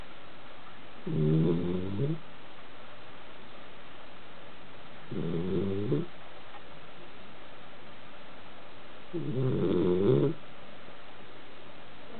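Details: A Basenji sleeping on a couch snores in slow, rattling breaths about every four seconds.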